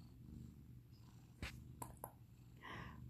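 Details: Purring from a senior female foster cat in a Seattle home while a person praises her. The low rumble is steady, with a few sharp taps near the middle and a brief soft voice at the end.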